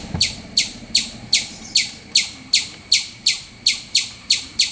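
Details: A squirrel chirps loudly, each call a short, piercing, high-pitched note that drops quickly, repeated at an even pace of about two and a half per second over quiet background.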